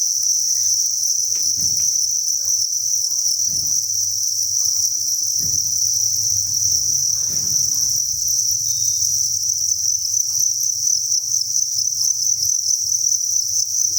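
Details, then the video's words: Crickets massed inside a breeding facility at a cricket farm give an unbroken, shrill chirping chorus. Soft low knocks or thumps are heard at about two-second intervals in the first eight seconds. "Cricket Chirping Sound"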